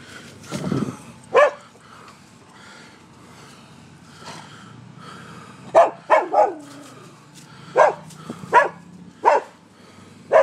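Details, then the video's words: Dogs barking at a residence in Seminole, Florida, on a morning in late October 2015: sharp single barks spaced irregularly, a few in quick pairs, with a low whine at the start and faint background hum. "Barking Dogs"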